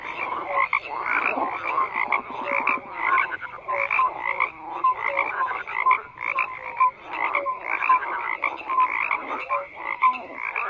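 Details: Many frogs croaking together in a dense, unbroken chorus: raspy overlapping croaks mixed with short, bright tonal notes repeating at an irregular pulse, with no other sounds.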